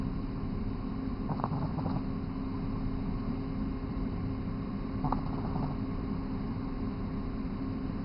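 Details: Sleeping 3-month-old Boston Terrier Mega Man snores, two soft rasping breaths about four seconds apart standing above a constant low rumble of room noise.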